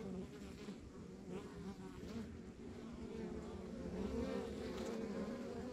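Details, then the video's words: Honey bees droning at a rural backyard beehive, the hum gradually growing louder and slightly higher toward the end as bees move near, with a soft fluttering pulse in the low rumble. "Relax to the Sounds of Our Backyard Buzzing Beehive"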